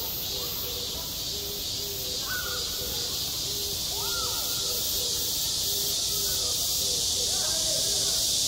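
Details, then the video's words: At a school playground in high summer, cicadas keep up a loud, continuous shrill drone, while fainter voices rise and fall in short bursts underneath throughout. "한 여름 운동장에서 매미가 울고 있다 - 여름의 소리, 학교 종소리, 매미 울음소리"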